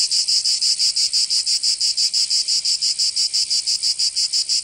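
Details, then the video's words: In southern France's Provence during summer, cicadas produce a shrill, continuous rasping drone beating in very regular pulses near three each second, unbroken and without other sounds. "Canto Cigarra 🦗 [ Escuchar les cigarras en verano 10 H]"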